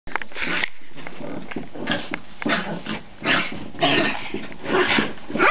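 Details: Pet dogs play fighting indoors, a mix of rough growls and short broadband yaps in irregular bursts, with thumping and scuffling between calls.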